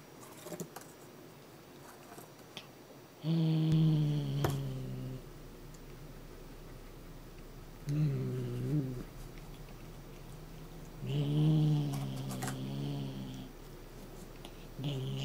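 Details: Shushu, a Somali cat, threatens with low growls so its cat teaser wand is not taken away. Three rumbling bursts, each one to two seconds long, are separated by quieter pauses. Faint rustles and taps come from a small indoor room.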